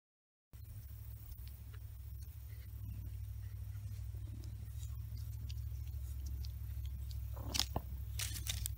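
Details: Big Blackie, a cat, purring in a steady low rumble that holds unbroken throughout, pulsing quickly and evenly, with scattered small clicks and a brief crunching scrape near the end.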